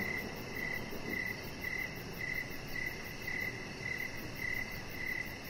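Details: Crickets sing in the evening near a chihuahua puppy lying on a lit deck; around ten short, high chirps come at a steady pace of about two per second over a soft rushing background.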